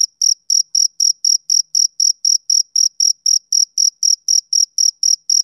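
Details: High, clear chirps from a male cricket on a summer evening, each pulse brief and sharp, repeated steadily about four times per second with no other sound present.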